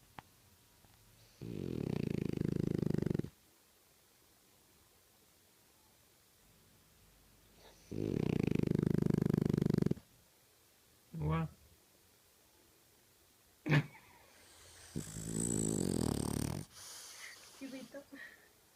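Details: French bulldog snoring: long rattling, pulsed breaths of about two seconds each, low and throaty, separated by quiet pauses of several seconds, with a few short snorts and sniffs near the end.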